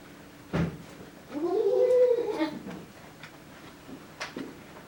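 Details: Toron, a female goat at Yoshigake goat farm in Himi, Japan, on 12 February 2022, gives one drawn-out, harmonic bleat lasting over a second that rises and then sags. Short knocks come before and after it, with faint indoor noise.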